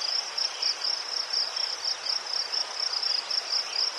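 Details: Cricket chorus in Ukraine with chrysanthemums nearby: a piercing high trill broken into rapid, slightly uneven pulses, several per second, over soft background hiss.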